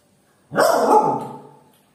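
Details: Pet dog named Jily demanding food: one drawn-out, harmonic-rich bark lasting about a second, strong onset then slowly fading, with silence before and after.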